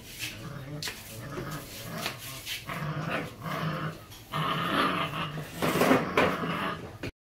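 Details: Growling Belgian Malinois puppies, a pair kept in Hoàng Mai, Hanoi, Vietnam; grumbling snarls run almost continuously and turn louder and harsher toward the end, mixed with a person speaking.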